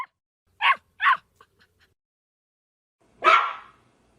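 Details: Large dog barking: two quick sharp barks, a few faint soft sounds, then after a silent pause one longer, harsher bark.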